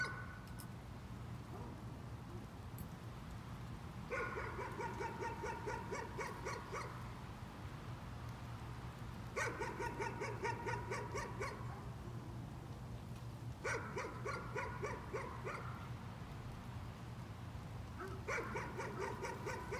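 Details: Nuisance barking from a dog: four separate bouts of fast, repeated yappy barks, each a couple of seconds long, spaced by short gaps over a steady low hum.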